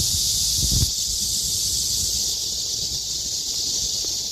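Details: Summer cicada chorus in the trees by Hakuicheon stream, a continuous shrill electric buzz at constant intensity, with a short low thump near the start under the steady drone.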